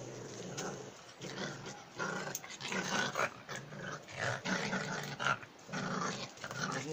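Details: German Jagdterrier growling in rough, rumbling bursts that rise and fall over several seconds, with human speech mixed in throughout.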